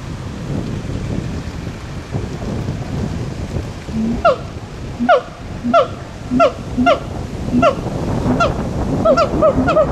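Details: Siamangs sing, giving loud, repeated barking calls, each paired with a deeper boom, over a steady rushing background.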